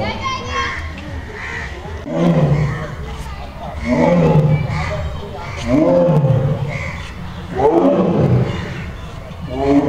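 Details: Royal Bengal tiger stuck in a cage, giving deep, rhythmic roars with a strong low rumble, one about every two seconds, while children and other people talk and play nearby.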